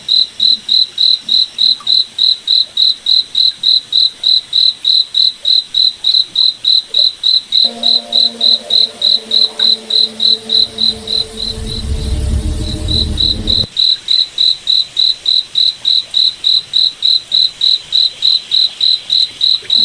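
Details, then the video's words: Night forest cricket chirping in a fast, even pulse of high notes, around three and a half per second, briefly covered midway by a low rumbling noise and a layered low hum before the chirps return clearly. "Cricket Night Forest Ambience"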